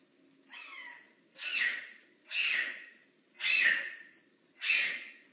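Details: Big Cat Rescue's rehab bobcat Makani gives five strong, rasping, meow-like calls in quick succession, about one per second, each rising then fading, with faint hum behind.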